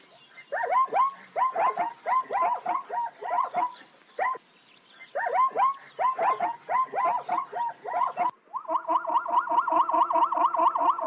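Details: Zebras of the plains species bark in choppy, overlapping volleys of squeaky yelps for about eight seconds, then a steadier, droning, evenly pulsed sound takes over to the end.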